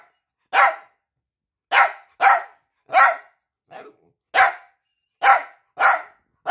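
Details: Piebald Dachshund named Peanut wanting attention, giving loud, abrupt barks at uneven spacing, some in quick pairs, one softer bark midway, around eight barks in six and a half seconds indoors.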